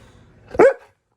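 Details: Wulf, a husky-malamute mix, indoors, gives a single short vocal 'woo' that rises and bends in pitch, a brief talking yelp while his owner scolds him about yelling at Felix.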